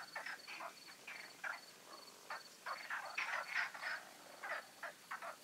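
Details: Frogs calling at night in the Magic Oasis ponds before the full moon, a dense run of raspy croaks overlapping one another, with a thin high tone pulsing faintly in the background.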